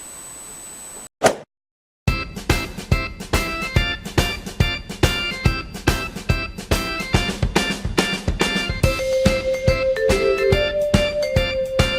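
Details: Rhythmic music with drums and plucked guitar follows a brief burst of static, with no animal voices.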